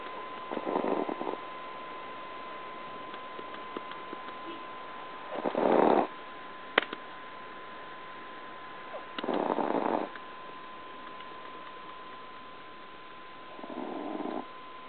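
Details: Titi, a 2 lb Chihuahua, snoring loudly in sleep like an old man; four raspy snores spaced roughly four seconds apart, each about a second long, with a faint click and room hum between.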